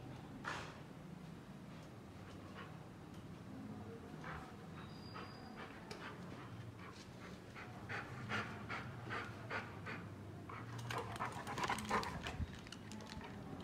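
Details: Labrador Retriever on a morning walk, panting: soft, breathy bursts in a quick steady rhythm, growing louder and denser toward the end, over a low background rumble.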